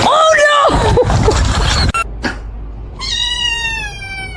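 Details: Kitten calling with high, wavering mews blended with a human voice at first, then after a short pause one long, steady, thin meow held to the end.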